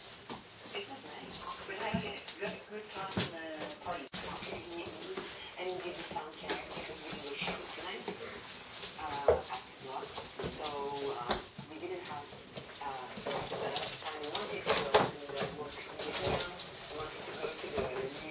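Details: Dobermann puppies 5.5 weeks old give a string of thin, high whimpers and whines, some rising and falling in pitch, with people talking throughout and occasional knocks and rustling indoors.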